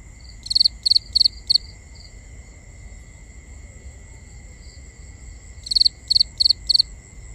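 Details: Crickets calling at night in binaural nighttime ambience: two bursts of four sharp, high chirps in quick succession, separated by a pause of about four seconds, over a steady high-pitched hum and faint low rumble.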